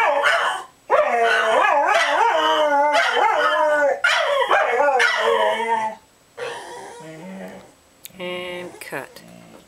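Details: Dog howling on opening day at Dodger Valley: several overlapping wavering, tonal howls rising and falling for about five seconds, then shorter broken voiced sounds with gaps between them.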